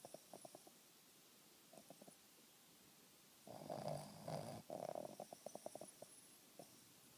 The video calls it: Banner (Boston terrier) snoring!!